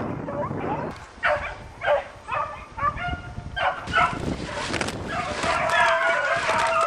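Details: Beagle pack hunting roe deer in a chasse au bâton. Single bays first come in separate bursts, about one per second, then merge into a full, continuous chorus of many dogs giving tongue together.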